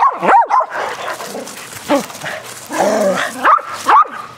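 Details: Several dogs playing rough, aggressive fetch outdoors on a spring day, barking excitedly: sharp overlapping barks and yips in quick bursts, with short gaps between volleys.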